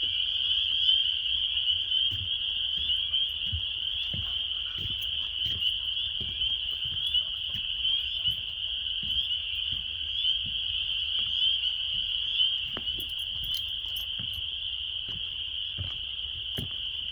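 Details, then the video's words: March spring chorus of hundreds of mating frogs at a local park pond: a loud, continuous high-pitched ringing trill with a fainter lower hum, and soft low thumps, like footsteps, scattered throughout. "Sounds of Frogs means Spring is Approaching"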